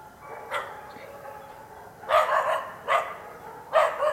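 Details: Karelo-Finnish Laika, one of two dogs aged two years and eight months, working a penned wild boar during training for trials; three loud, harsh barks spaced under a second apart after a quiet start.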